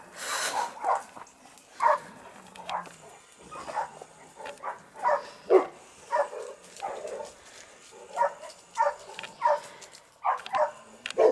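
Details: Dogues de Bordeaux at the amateur kennel Les Dogues de Plaine bark repeatedly over about eleven seconds in uneven bursts, some overlapping, while a person urges them on in Italian, calling them to come and run.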